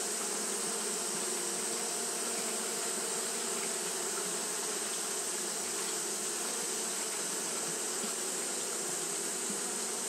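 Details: Japanese honey bees fanning without pause on a hot day, making a dense, steady droning hum with bands of low buzzing and a bright hiss over the top, unbroken for the whole stretch.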